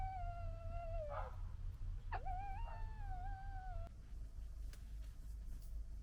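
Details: Red fox from the 2021 litter, fighting among siblings: a long, steady, nasal whine that dips, breaks with a sharp squeak, then continues level before stopping, over low rumbling background noise.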